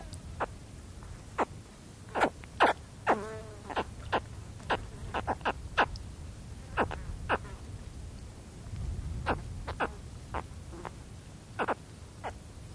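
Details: Young spectacled caiman making contact calls up close, a long run of clipped, descending chirps repeated irregularly, roughly one to three per second, with a fly buzzing briefly and soft wind behind.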